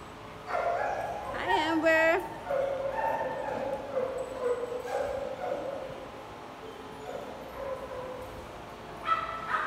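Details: Large dogs playing together in a group. A rising, whistled whine stands out near the start, followed by softer yips and barks, with human voices mixed in.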